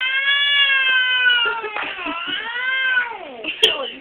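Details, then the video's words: Angry pet cat giving a long drawn-out yowl with rich harmonics, wavering and dipping in pitch, then a second sweeping howl that falls low before a sharp click near the end. "Angry Cat!"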